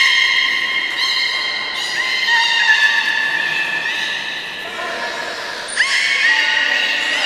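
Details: Captive belugas at Port of Nagoya Public Aquarium, Japan, 11 August 2018, as Nana and Hodoi were being moved between pools. Loud, continuous, richly layered whistles shift pitch in steps, with a sudden high note and a fresh squeal near the end.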